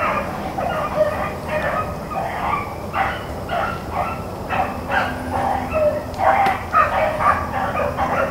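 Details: Blackcreek and Bluetick hounds running rabbits on April 4, 2013: a pack bays in overlapping, irregular bursts, roughly two voices a second, with a faint steady low hum underneath.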